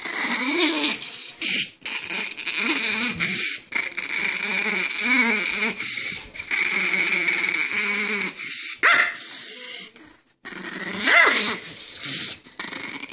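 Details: Angry chihuahua snarling without break, a harsh, strained, wavering growl that rises and falls in pitch, with short gasping pauses and a brief whining yelp near the end.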